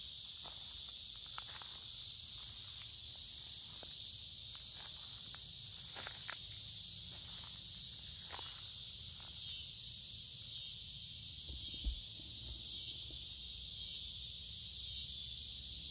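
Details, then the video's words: Noisy cicadas singing in woods along a creek in midsummer on a warm, humid day: a steady, dense high buzzing drone that never pauses, with footsteps crunching on leaves throughout. "Walking along a Creek with lots of Noisy Cicada Insects Singing in Summer"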